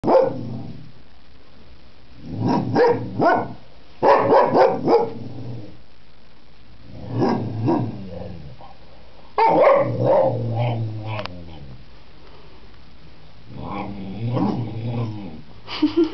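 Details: Pet Springer Spaniel 'speaking': bursts of grumbling, moaning yowls mixed with short barks, each run lasting one to two seconds and separated by quiet pauses, with a low rumble under the calls.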